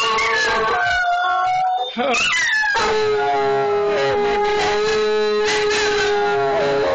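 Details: A German shorthaired pointer and a Jack Russell terrier howl together in long, steady, wavering tones that rise briefly then settle into a sustained note.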